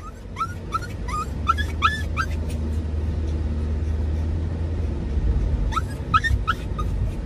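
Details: Dachshund and Toy Poodle mix riding in a car, excited and courting, chasing the father during a drive: a run of about seven high, rising whines in quick succession, a pause, then several more, over steady low engine rumble.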